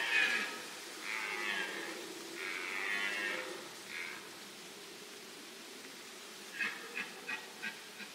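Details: A red deer in the White Carpathians, 2021, gives several drawn-out, hoarse, moaning calls, then a run of short grunts.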